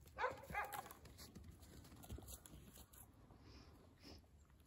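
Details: Dogs of a friendly family. Two quick, high, whiny yelps open the recording, followed by quieter rustling and a couple of faint thin squeaks against a low background hum.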